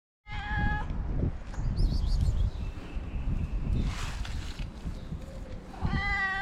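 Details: Friendly stray cat in Morocco, fed daily on the street, meowing to say she is hungry: a clear harmonic meow at the start and another rising meow near the end, with rumbling low street noise and handling sounds between.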